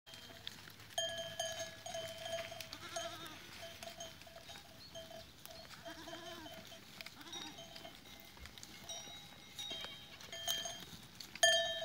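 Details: Goats recorded on 13 April 2023, a few wavering bleats rising and falling, heard under the steady ringing of many tuned bells that dominate throughout.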